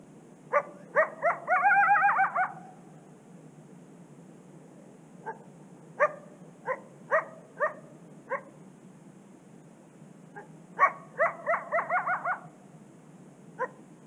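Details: A coyote beside a secluded Canadian prairie river gives sharp, ringing barks and yips, breaking into short wavering howls.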